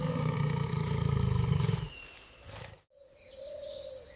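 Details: A Bengal tiger stalking through jungle undergrowth on a humid morning gives a deep, throbbing growl-roar, pulsing rapidly for about two seconds. After an abrupt cut, a steady higher tone is heard.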